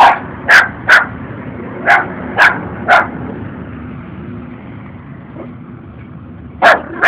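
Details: Two puppies, possibly lost, follow a stranger outdoors while one barks at him: sharp, high, yappy barks, six in quick succession, a pause of several seconds, then two more, over faint background hum.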